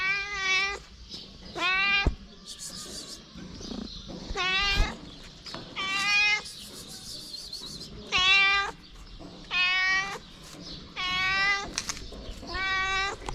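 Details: Meowing from a homeless street cat family, a mother with kittens: about nine short, strong meows in steady succession, roughly one every one and a half seconds, each bright and harmonic with a rising-then-falling contour; faint low hum beneath.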